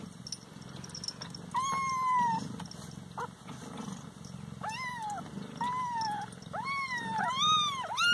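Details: Several Siamese pet cats meowing as they are kept away from food: a series of drawn-out, wavering yowls, some falling in pitch and others arching, growing louder and closer together toward the end over steady room hum.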